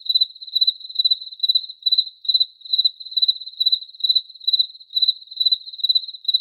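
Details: Regular cricket chirps, thin and shrill, each made of a few quick pulses, recurring about every half second for the whole stretch, with no other sounds.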